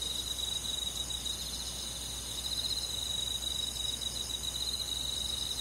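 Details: Rural forest on a midsummer night, with crickets among chorusing insects: an unbroken chorus of rapid, buzzy high chirps in overlapping pitch layers, level and steady throughout, with only faint low background hiss.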